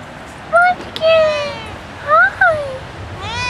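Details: Bella, a pet cat, jealous at being kept off the porch while Red and her owner are outside, gives several drawn-out meows that rise and fall, some arching upward, between bursts of human speech.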